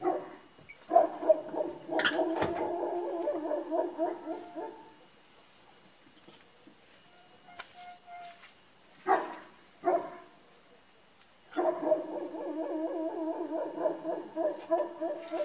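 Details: Georgian Shepherd dogs (nagazi) belonging to their owner howl together in rich, wavering, quivering tones lasting about five seconds. A quiet stretch with a few sharp knocks follows, then the chorus of long warbling howls returns.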